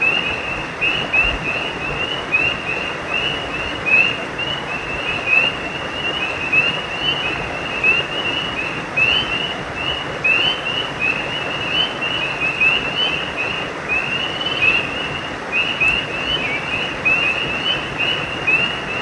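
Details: Repeated sharp, high-pitched chirping from frogs carries on through the whole stretch, a brief gap near the end, all over a strong, unbroken roar of a nearby stream.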